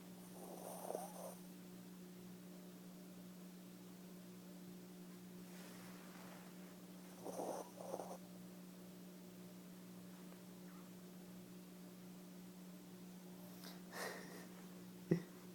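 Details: Edie the dog snoring in her sleep: scattered rough, snorting breaths every few seconds, separated by quiet stretches, a steady background hum and a brief sharp knock near the end.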